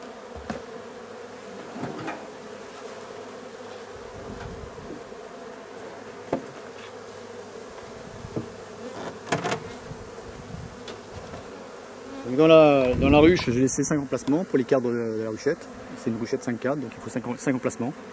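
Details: A drone-laying honey bee colony hums low and steady during its replacement. Occasional knocks sound over the drone, and a human voice breaks in over the last third.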